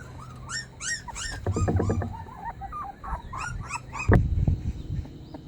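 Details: Puppy crying sorrowfully as if begging for help: a few high, quavering whimpers that rise and fall, broken by gaps, with a low rumbling background and a sudden thump near the end.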